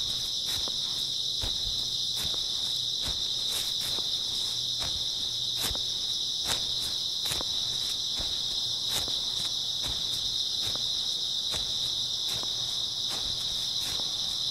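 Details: Steady high-pitched chirping of many grass insects on an early autumn night, with a regular rhythm of walking footsteps, roughly one step every second, crunching beneath the chorus.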